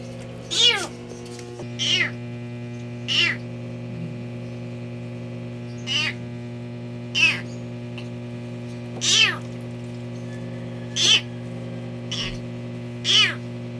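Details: Injured kitten, its paws crushed after being trapped under a vehicle and unable to walk, during a rescue: about eight loud, high meows that rise and fall, one every one to two seconds, over a steady low electrical hum.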